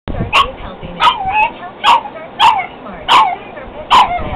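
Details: Pug fighting its own reflection in a mirror, giving six sharp, punchy barks spaced roughly every 0.7 seconds, each brief and forceful, with quieter grumbling between bursts.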